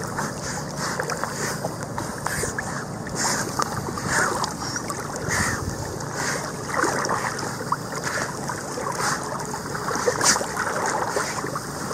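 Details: Gusting wind on the microphone and splashing water rise and fall beside a river, with occasional knocks and rustles.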